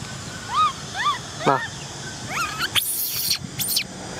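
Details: Cola, an orphaned baby female macaque, cries because she wants to ride a bike: a run of short arched whistling cries about every half second, then a sharp descending wail and brief high squeals, with a soft rural background.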